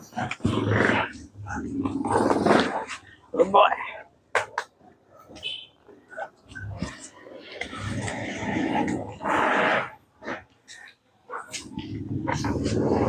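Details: Cane Corso puppy Turin growls in rough, low bursts while tugging during a bite training session indoors. A trainer talks and gives commands in Filipino throughout, with growls breaking through between the words.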